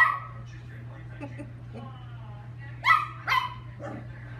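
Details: Lucky, a chihuahua, at playtime gives two sharp high yapping barks near the three-second mark, then a softer third, over quieter murmuring and a steady low electrical hum.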